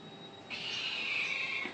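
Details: Domestic cat giving a single thin, high-pitched meow lasting about a second, steady then fading at the end, with quiet background hiss.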